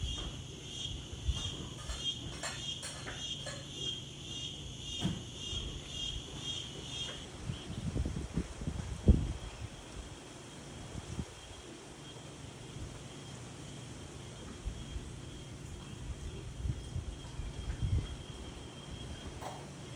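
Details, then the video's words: Insect calling by day in windy weather: a thin, high buzz pulsing in quick regular beats for about seven seconds, then thinning to a faint steady trill under low rumbling wind gusts and occasional soft thumps. "Wind and Insects"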